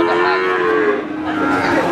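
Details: At Pati's Wagenan cattle market in Indonesia, a cow gives a sustained moo that sinks in pitch over about a second, followed by a lower, softer low amid a crowded, noisy market background.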